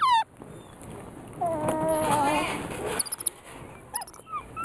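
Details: Female weeper capuchin Gemma eating a sugar-free almond cake utters a drawn-out, smooth whining call lasting over a second, followed by short high chirps and faint background noise.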